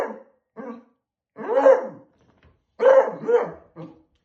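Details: A beagle puppy barks at a balloon, giving short, harsh barks, some drawn out into rough yelping howls.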